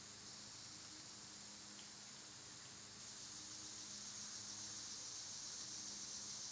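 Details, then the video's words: A rapid, evenly pulsing wall of high hiss comes from summer cicadas and grows louder about halfway through. Faint low hums sit underneath. "Cicada sounds"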